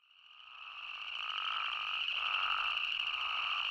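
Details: Spadefoot toad chorus from Arizona fading in from quiet: steady shrill drone with pulsing bleats layered below, growing louder over the first second and a half.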